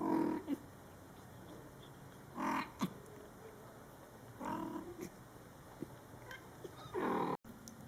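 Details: A mother cat talking to her Scottish Fold kittens, born July 22, 2012, in their first month. Four short, rough, low murmuring bursts arrive every two seconds or so, with faint clicks between them and a brief cut near the end.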